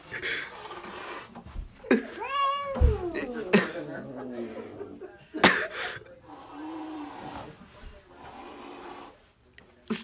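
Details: Angry female house cat named Pebbles, hiding behind a shower curtain and hostile toward people after hissing when petted, gives a wavering, moaning growl midway, set among sharp knocks and people talking in a small bathroom.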